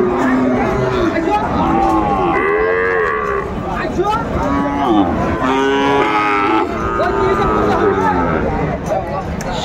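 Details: Sahiwal bull calves for sale at a market, several long bellowing moos rising and falling in pitch, one after another, with constant crowd murmur and voices behind.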